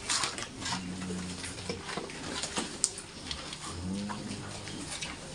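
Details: Large White pigs on a farm giving low, rumbling grunts with layered tones, several short grunts through the clip, over steady background clatter, clicks and shuffling in the pen.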